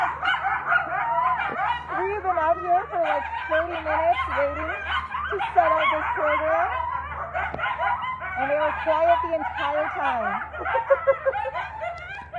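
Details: Captive ambassador coyotes at a wildlife centre near an airport, excited by passing helicopters, sing together in a tangle of wavering howls, yips and quavering wails.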